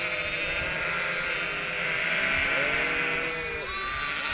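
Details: Flock of Cotswold sheep with lambs about three weeks old, calling as they expect the farmer with feed; crowded wavering baas, one rising higher-pitched lamb cry near the end.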